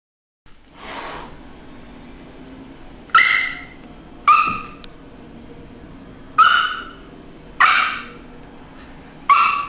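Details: Three, a Schipperke, play-fighting with Isabelle the cat indoors. Five sharp, short yelping barks with bright tonal ringing, each starting abruptly and fading, spaced one to three seconds apart. A softer breathy sound comes near the start.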